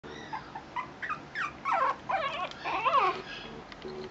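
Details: A male Shih Tzu puppy whimpering: short high whines that grow into wavering, sliding cries, about eight in four seconds, louder toward the middle.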